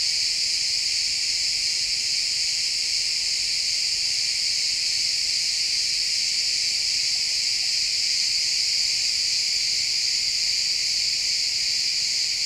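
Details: Crickets chirping in a pine forest at sunset, a dense unbroken high-pitched trill from many insects that holds steady for the whole stretch, recorded in stereo with no other clear sounds.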